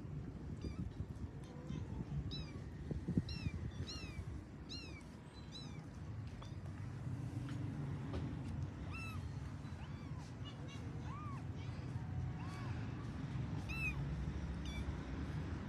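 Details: Pet kittens of a cat family calling while finding their mother: many short, high, arched meows, some rising and some falling, coming in quick irregular bursts over a steady low rumble of background noise.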